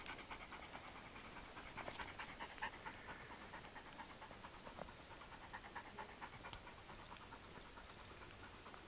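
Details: Dogs on a Friday morning walk to a waterfall, among them Dillon the Lakeland Terrier, Lola the Jack Russell Terrier / Pomeranian mix and Pippa the Wirehaired Pointing Griffon; soft rapid rhythmic panting, about two breaths a second, with a steady background hiss.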